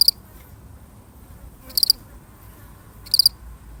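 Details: A single lonely cricket in a real recording: three short high chirps, each a quick pulsed triple, spaced well apart over a faint low background hum.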